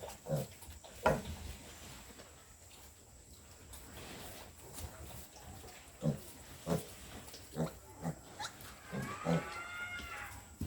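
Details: Piglets two weeks old on a pig farm make scattered short grunts and snorts, with a brief higher squeal near the end, over a constant low background hum.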